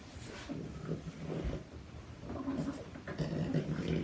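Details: Two Boston Terriers, a 4-month-old puppy named Bruno and 4-year-old Waldo, wrestling, nipping and tugging indoors; low rumbling growls and snorts come in uneven bursts throughout, with soft scuffling between.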